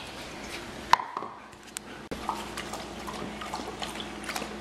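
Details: Indoor dripping and splashing water with small knocks and clicks in a quiet room; no animal voice is heard.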